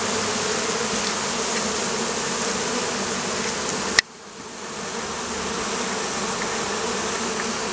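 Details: Oriental hornets (Vespa orientalis) in Campania, Italy, a wasp troubling beekeepers on the Campanian plain. A dense, steady droning buzz with a low hum and rough overtones, briefly cut off by a sharp click near the middle before resuming.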